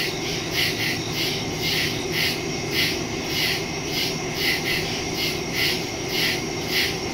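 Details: Woods at night on September 2, 2023, full of crickets, recorded by phone (Samsung Galaxy S22 Ultra, Shure MV88+ stereo microphone). Overlapping high chirps beat in a rapid, slightly uneven rhythm against a low background drone.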